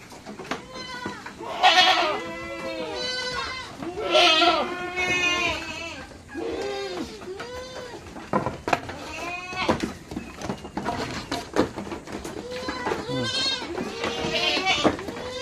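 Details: Backyard farm goats crowd to be let out, giving a chorus of loud, quavering bleats that overlap and repeat, some rising and falling, amid knocks and rustling.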